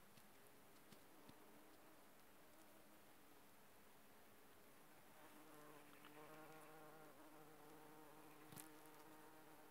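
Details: Bumblebees working aconite flowers give a low, steady droning hum with stacked harmonic tones that swells louder and fuller in the second half, over a faint background hiss.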